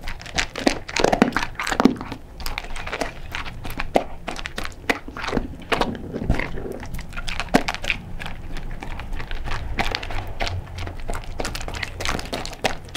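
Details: Crunchy dry kibble chewed by Sofie, a blind cocker spaniel, close to the microphone indoors; rapid crackling bites and crunches continue steadily, some softer wet chewing between them.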